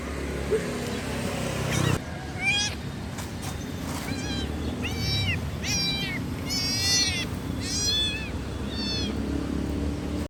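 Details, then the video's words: Young kitten crying with a rapid series of about six short, wavering meows in close succession, set against a steady hissing background noise and a brief thump near the start. "Suara Anak Kucing Mengeong -Kitten Meowing"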